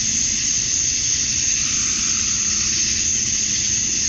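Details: Cicadas at dusk on a summer night in Georgia, USA, males chirping to attract females; continuous shrill, hissing buzz holding constant throughout, with a faint low rumble below.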